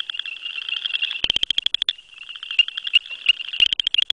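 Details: Southern chorus frog (Pseudacris nigrita) males call from grasses, giving rapid, dry, high-pitched ratchet-like trills in overlapping bursts, like a thumbnail run along a comb, with a softer caller trilling in the background.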